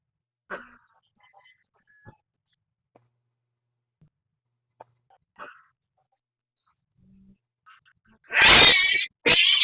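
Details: Domestic cat feuding with an orange neighborhood cat: faint scattered meows early on, then a loud harsh caterwauling yowl near the end, broken by a short pause before a second screech.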